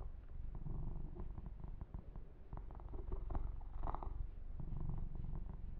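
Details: Low, fast purring from Yumak, a male kitten being massaged and groomed, steady in pulse, with brushing strokes and small clicking sounds over the rumble.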